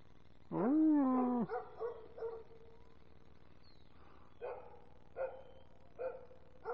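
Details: American Foxhound, a pet, howling along with its owner: one strong, smooth, slightly falling howl lasting about a second, then fading tonal tails and several short, rougher yelping notes repeated at intervals.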